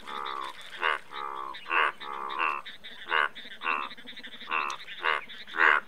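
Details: Indian bullfrogs croaking in a chorus: short, nasal, harmonic croaks roughly twice a second, alternating softer drawn-out calls with louder bursts, several frogs overlapping.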